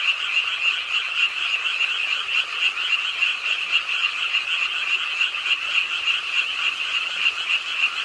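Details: Frogs croaking with the rainfall on a late rainy night at a pond in Ingye Art Park, Suwon, an urban park: a dense chorus of high, rapidly pulsed trilling calls, overlapping into a steady shimmering wall of sound with soft background hiss.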